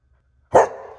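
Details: Corgi at a Corgi Beach Day gathering on April 1, 2023, giving one sharp, loud bark that starts abruptly and fades into a brief ringing tail, with no other sounds around it.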